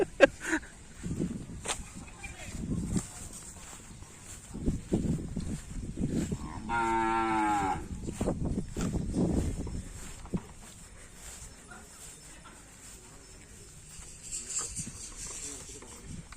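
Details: Cattle at a karapan sapi bull race training session on the Gulbung field. A single deep, droning moo of just over a second rises out of a noisy crowd with thuds and people talking.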